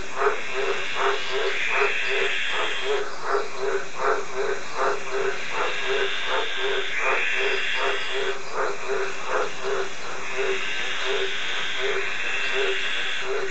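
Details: Green tree frog calling, a steady series of short harsh croaks repeated roughly once per second, with a higher trilling buzz rising behind them in bursts and a constant faint hiss underneath.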